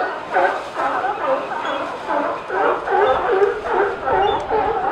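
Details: Sea lions at Pier 39 barking: rounded, hoarse honks repeat in quick succession, roughly two or three a second, from several overlapping animals forming a steady chorus.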